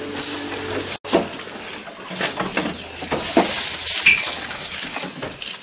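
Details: Goat eating, recorded close up: dense crunchy, crackling chewing noises with sharp broadband clicks, a brief dropout near the first second, and a faint high chirp midway.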